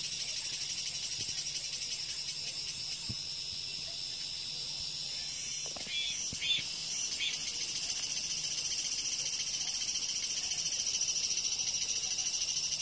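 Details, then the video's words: A continuous, piercing cicada drone fills the high range, briefly broken by a few louder rasping bursts midway before the steady sizzle resumes. "REAL SOUND 매미소리"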